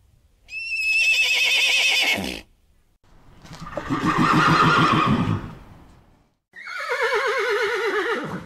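A mustang gives three loud whinnies: a high shrill one, a lower rumbling one, and a falling, quavering one to finish.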